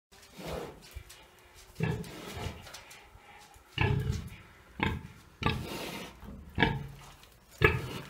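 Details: Three-year-old domestic pig in Bálványos on 16 July 2018, fed green waste and kitchen scraps and picking out fresh greens, answers with low, short grunts repeated about once a second, mixed with rustling and chewing.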